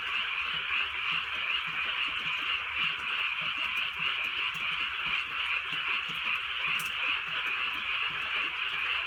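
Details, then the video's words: Night in the countryside with drizzling rain, where a dense chorus of frogs keeps up continuous overlapping croaks like a bright unbroken buzz, accompanied by faint low rain ticks and one brief sharp click. "개구리 소리"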